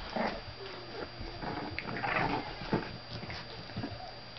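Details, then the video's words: Bulldog puppies in a junkyard give soft whimpering and squealing cries, several short rising whines clustered in the middle, over a low steady hum indoors. "Junkyard Bulldogs Puppies"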